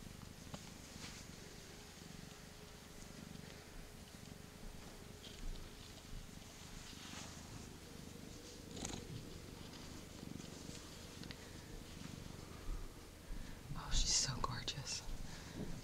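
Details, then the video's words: Continuous low purring from a small young female cat around eight months old, rescued from the street and content while being held and petted; quiet voices talk nearby and a small sneeze is heard near the end. "Etta Small Purring Machine"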